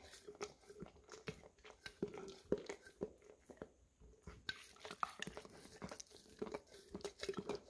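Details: Golden Retriever of English cream colouring, indoors, working peanut butter from a nearly empty jar, captured with a Samsung Galaxy S10e; steady sticky lapping and smacking about twice a second, jar resonance ringing underneath, brief pause mid-way.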